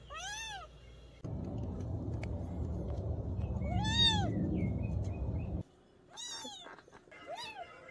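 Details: Adopted mountain-village kitten meowing in short arched cries, four or five in eight seconds. A loud broad rushing noise covers the middle few seconds while one meow still rises clearly above it.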